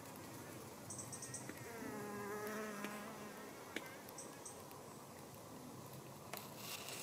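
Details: Helophilus pendulus, the sun fly, visiting flowering cucumber plants in a greenhouse with both sexes present; a layered flight drone that rises and falls in pitch, plus occasional clicks and brief high chirps.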